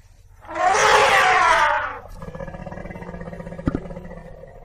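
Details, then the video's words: African elephant giving a single loud, brassy trumpet that blares for about one and a half seconds, then stops, leaving a low rumbling background and a short double knock near the end. "African elephant sound"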